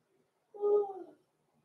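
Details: Blenheim Cavalier King Charles Spaniel puppies, Roman and Blue, six weeks old, born November 14, 2022, in an indoor puppy pen at home; one short, steady whine of about half a second with a faint falling tail, in an otherwise quiet room.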